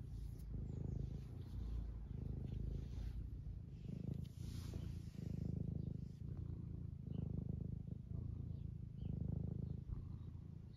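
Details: Steady low purring from Eric, an 11-year-old semi long-haired tabby house cat in the UK, stroked and wanting attention; the rumble swells and eases in regular breath-length pulses about every two seconds.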